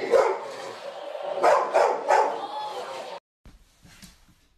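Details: Husky dog from a funny reactions compilation giving several rough, broadband barks in quick succession over three seconds, ending abruptly into near quiet with faint low noise.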